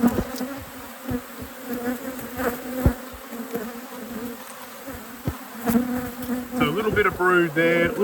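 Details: Droning honey bee buzz at a beekeeper's apiary, steady and mid-pitched, broken by sharp taps and clicks of hive equipment; a human voice rises over the hum near the end.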